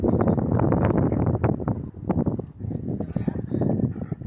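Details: Mugsy the Rottweiler play fighting gently with another large dog at a dog park, giving deep, raspy growls in quick pulsed bursts with a brief lull midway, then resuming.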